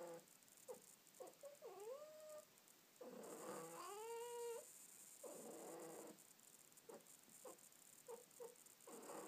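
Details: A pet cat snuggling under a blanket indoors gives drawn-out, wavering meows, one long rising-then-falling cry near the middle with clear harmonics, between short soft chirps and muffled shuffling.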